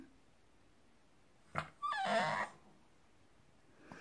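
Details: Indoors, a French Bulldog puppy answers its owners in its own chatty language of squeals, howls and strange sounds: a brief sharp yip, then a half-second wavering whine that rises and falls, with quiet room noise around it.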